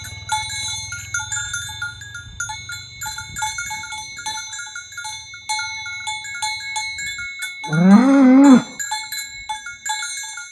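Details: A tame cow herd moving toward the pen in the morning along village roads; a short, rising moo under a second long breaks through continuous cowbell ringing and an early low motor hum.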